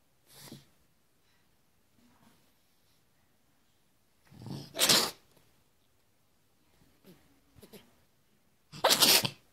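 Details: A cat sneezing: a faint sniff-like burst near the start, then a doubled sneeze with a sharp, hissing snort midway and a final loud explosive sneeze at the end, soft breathy rustles between.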